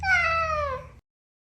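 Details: A domestic cat gives a single clear meow lasting about a second, falling gently in pitch, the classic meow adult cats direct at humans rather than at each other.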